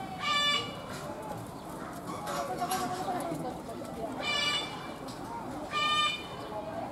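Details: At Kyoto City Zoo a white goat threatens and butts a rival through a fence; three short, strained, nasal bleats spaced several seconds apart rise above a background murmur of people talking.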